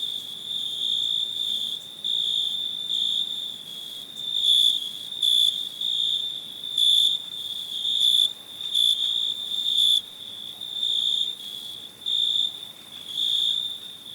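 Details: A cricket trills continuously in high, thin pulses, loud phrases alternating with softer stretches every second or so, the ringing tone never fully stopping; nothing else clearly audible.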